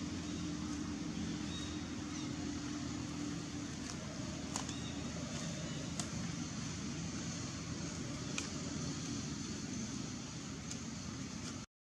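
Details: Steady engine-like rumble and hiss with a few sharp clicks, ending abruptly in silence.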